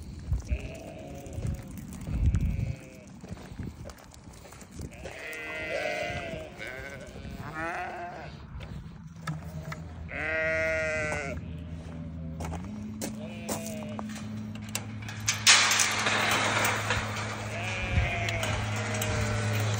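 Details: Newborn lambs give wavering, tremulous bleats through the recording, while a steady low mechanical hum sets in midway and a burst of hissing noise follows near the end.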